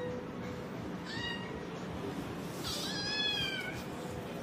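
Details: Domestic kitten, female, meows indoors: a short thin mew, then a louder, longer, descending meow about 1.5 seconds later, over faint room noise and background speech.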